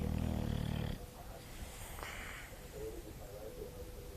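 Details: Sleeping English bulldog Sofia lets out a loud, deep, rattling snore for almost a second, then the sound drops to soft breathing with a few faint higher tones.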